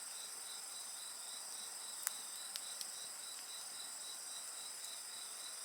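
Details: High, unbroken insect trilling with a faster beaded chirp running beneath it, while a campfire snaps and pops several times, most sharply near the two-second mark.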